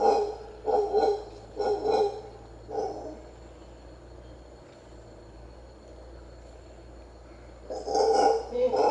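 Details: Wild howler monkey at the ancient Maya site of Comalcalco, Mexico: four rough, roaring bursts in the first three seconds, a quiet stretch with a steady low hum, then a loud roar resuming near the end.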